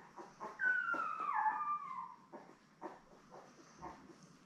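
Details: Newborn Labrador Retriever puppies, a litter of seven born May 24, 2021, with their mother Belle on a live puppy cam, June 3: one drawn-out whine sliding downward from high to lower pitch, with faint softer squeaks and rustling around it.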